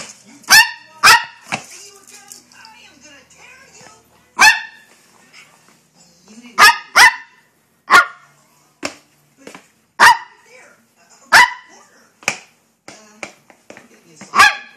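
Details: Hyper Maltese dog barking while playing and being chased: sharp, high barks in irregular bursts, often paired, about eighteen per minute, with quiet gaps between.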